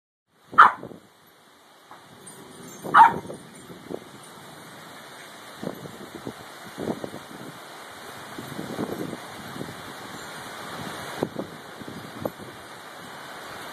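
A Cairn Terrier gives two sharp, high barks a couple of seconds apart over steady storm noise.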